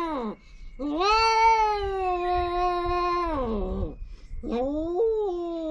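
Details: Mating feral cats on a Japanese cat island, one giving a long sustained moaning yowl of nearly three seconds, steady then dropping, followed by a shorter rising wail; little else audible.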